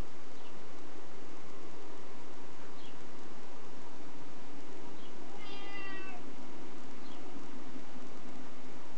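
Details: Niko, a nervous pet cat, gives one drawn-out falling meow midway, surrounded by several faint short calls and a low background hum.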